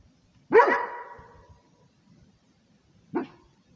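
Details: Rhodesian Ridgeback defending territory, giving one loud, harsh bark that rings out and decays slowly, then a second shorter bark about two and a half seconds later, otherwise quiet.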